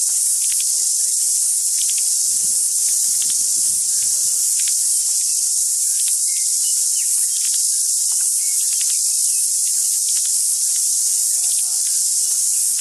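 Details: Cicadas in full chorus, extremely loud, a dense sizzling high whine held throughout, overlaid by frequent short faint chirps and whistles from tuis singing in the background.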